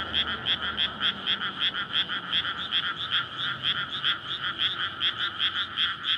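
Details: Many frogs croaking in a night-time chorus over a flooded rice field in May, gathering to breed after the paddy is watered; harsh pulsed notes roughly two to three per second, densely overlapping, steady volume.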